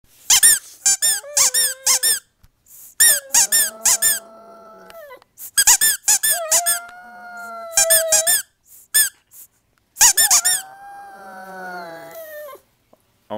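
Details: A pug indoors in a small room, howling in drawn-out, steady, slightly wavering tones of one to two seconds, three times. Sharp, rapid squeaks come between the howls, and a person praises the dog and asks for tricks.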